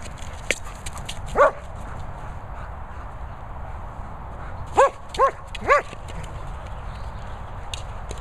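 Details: A German Shepherd named Lucy, busy with a boomer ball, gives one lone bark, then silence, then a tight cluster of three ringing barks near the end over constant wind noise.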